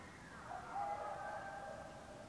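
A coyote gives a long, drawn-out howl that holds a steady, wavering pitch.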